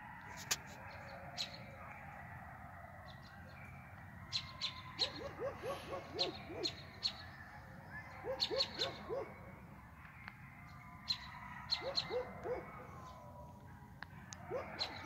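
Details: A pack of about 15-20 coyotes, one very close, gives high, quavering yips and short howls in a ragged chorus at 5:45 am, along with a German Shepherd.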